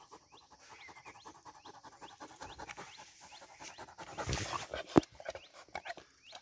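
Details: Two-year-old Rottweiler, tired after chasing langurs, pants in quick, evenly spaced breathy puffs; small birds chirp in the background and a sharp knock sounds near the end.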